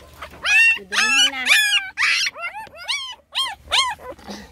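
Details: Young puppies crying loudly, competing for attention: high, wavering whines and yelps overlapping in quick bursts, some rising then falling, with a low hum underneath.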